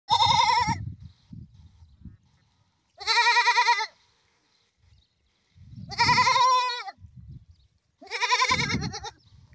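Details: Goats bleating in a series of loud, wavering, nasal cries, each lasting under a second and spaced a few seconds apart, with low rustling and handling noise between calls.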